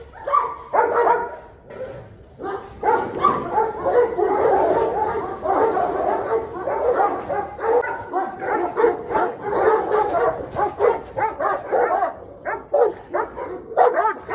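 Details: Fierce dog in a standoff with the dominant 'dog king', turning wild and rebellious; dense, continuous barking with overlapping rough barks in quick succession and almost no pauses across the whole stretch.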